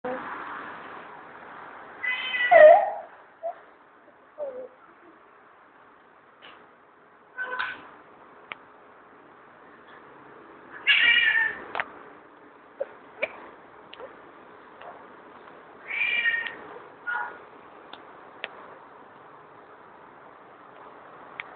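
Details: Angry pet cat indoors, letting out harsh, breathy wailing bursts about every five seconds, each a rasping yowl with short clicks and thumps in between, quiet room between outbursts.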